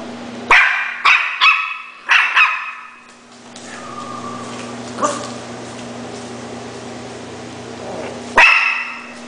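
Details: A Schnauzer barking: a quick run of five sharp, loud barks in the first two and a half seconds, then a pause with a steady low electrical hum, and one more bark near the end.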